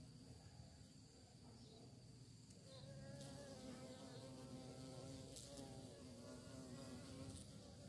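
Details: Bees searching for prey. A soft, low hum at first grows into a louder, richer buzz with wavering harmonic layers as the insects come closer, then holds steady to the end.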